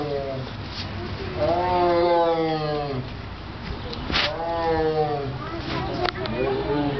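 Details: A tiger at the Columbus Zoo gives drawn-out, harmonic moaning calls, rising then falling, with people's voices nearby; the reason for the noise is unknown to the recorder.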